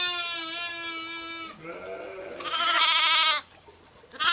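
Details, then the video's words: Sheep and lambs, a steady, evenly pitched bleat lasting about one and a half seconds, followed by a softer lower call and a bright, higher, wavering bleat, with a constant low background hum. "SOUNDS OF SHEEP AND LAMBS"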